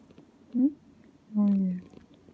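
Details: Ao, a pet cat, chatters from under a chair while its owner works, asking to be petted or held; a brief chirp followed by a longer, steady, low mew, indoors in a quiet room.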